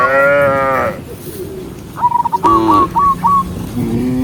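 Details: Herded big-horned cows, dozens walking together; a loud sustained moo opens, followed by a quick series of high whistled chirps and a shorter moo, with low lowing fading at the end.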